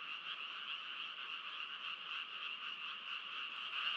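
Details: Steady frog chorus, overlapping croaks blending into a constant buzzy hum, growing slightly louder toward the end.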